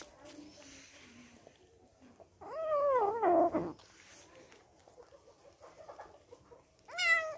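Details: Kitten angry at being disturbed while eating: a faint low grumble, then a loud, drawn-out, wavering meow with a falling tail. A short rising meow follows near the end.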